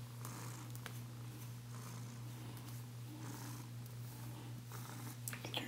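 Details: Bengal cat, a female, purrs with a continuous deep hum as she is brushed in a small room; rhythmic brushing rasps and a few faint clicks sit on top of the rumble.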